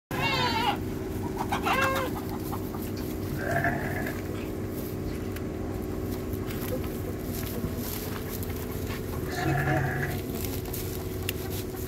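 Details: Goat quarrelling with sheep, headbutting: short wavering bleats at the start and again near two, three and a half and nine and a half seconds, set against a steady low droning hum throughout.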